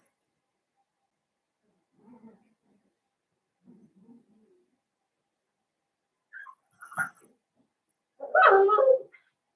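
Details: Blenheim Cavalier King Charles Spaniel puppies, one of a litter of five born on New Year's to Paris and Spike, in an indoor puppy pen; soft scattered murmurs, then a sudden louder harmonic whimper-yelp near the end.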